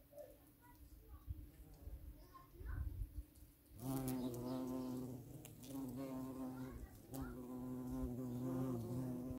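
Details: A violet carpenter bee (Xylocopa violacea) hums loudly in flight, a deep steady buzzing drone that swells and dips as it passes.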